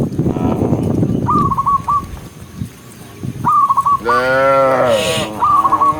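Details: Cows released from the pen run down a green hill on a bright morning. Rustling and shuffling come first. Short high chirping bursts repeat, and then a single deep, drawn-out moo of about a second sounds near the end.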